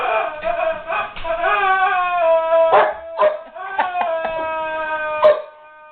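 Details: Puzzled guard dog whimpering over a squeaky toy: long, steady, high whines that bend slightly downward, with brief squeaky spikes and short breaks between drawn-out cries.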